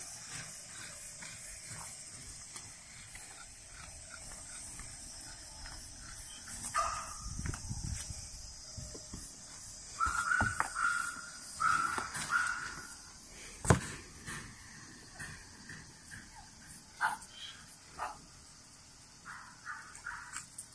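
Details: Whining from French Bulldogs born on 21 and 23 June 2017: soft cries build to a series of short, squeaky whines near the middle, mixed with knocks and shuffling, then fade to scattered whimpers.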